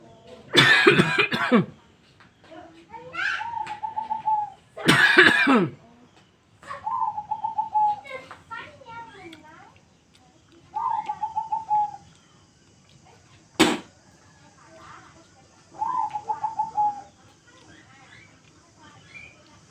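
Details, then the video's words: Young kitten angry in response to coughing: loud broadband coughs alternate with steady, drawn-out, slightly nasal meow-like calls near one pitch, about five calls interleaved with the coughs, plus a sharp click. "cute kitten is very angry when there is coughing sound"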